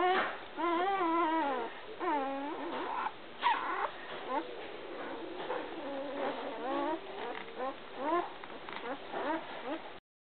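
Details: A litter of American Water Spaniel puppies at one week old whine continuously, wavering up-and-down cries overlapping one another, louder at the start and then a steady murmur of squeaks and whimpers.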